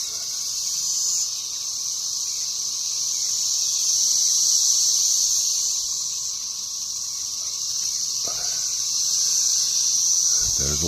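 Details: A dense cicada swarm in trees near Lake Barkley, Western Kentucky, makes a steady, high, shimmering buzz that swells and fades slowly.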